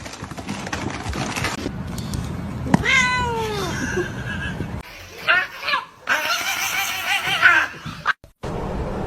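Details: A cat meows once, a clear falling cry, amid household clatter, rustling and bursts of other indoor noise.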